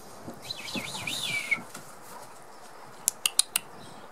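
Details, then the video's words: Six-week-old Border Collie puppies, the litter of Hada and Wind, playing together: a run of thin, high, wavering whimpers rising and falling over the first second and a half, then quiet, then four sharp clicking taps. "Cachorros de Hada & Wind 6 semanas"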